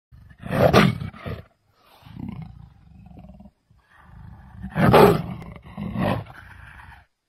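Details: Leopard roaring: two loud, rough, broadband bursts about four seconds apart, with quieter low growling rumbles in between and a shorter harsh burst trailing the second.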